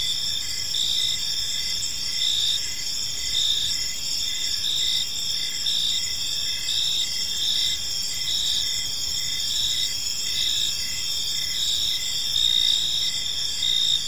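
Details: Evening chorus of crickets in a calm park, a continuous high-pitched chirping drone with short repeated pulses layered on top and a soft low hum beneath.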